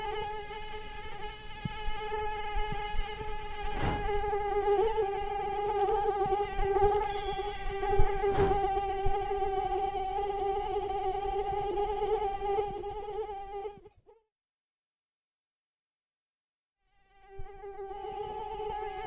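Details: Mosquito flying, wings beating 300 to 500 times per second, with a loud, slightly wavering whine over soft clicks and low rumble. The buzz stops abruptly near fourteen seconds, leaving three seconds of silence before it returns.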